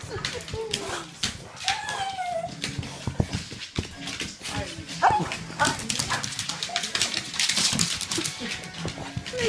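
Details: Boxer and Beagle pet dogs greeting their returning owner after about a month away for work. The dogs whine in high, drawn-out rising and falling tones over background music, with a woman's voice calling to them.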